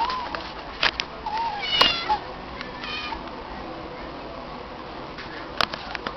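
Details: A stray she-cat answers when called by her name, giving a short bright meow followed by a softer wavering one, among scattered clicks and faint human speech.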